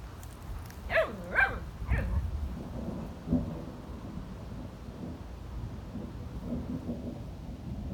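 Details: German Shepherds at play, Thor with the new puppy Eddy: three or four high, arched yelping cries in quick succession in the first two seconds, one shorter yelp near the third second, then low rumbling and shuffling noise.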